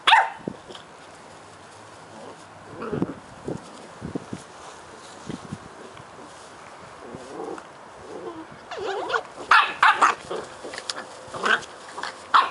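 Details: Cardigan Welsh Corgi puppy siblings, nine weeks old, play fighting at home in Adelaide, South Australia: short high yaps and growly barks, sparse at first, then a denser flurry of yelping barks over scuffling noise in the last few seconds.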